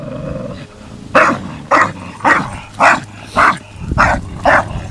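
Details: Tyson the 8-month-old Staffordshire Bull Terrier and Viper the 2.5-year-old English Bulldog playing; after a quiet start, seven evenly spaced hoarse barks about every 0.6 seconds over a faint low growl.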